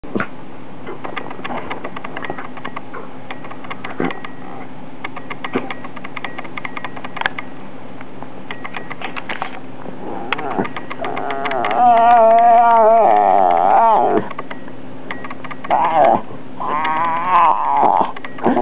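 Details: Taylor, a two-year-old female rat terrier, voicing her opinion indoors: a long quiet stretch with steady room hum, then wavering, whining, howl-like harmonic grumbles near the end, broken into two bursts.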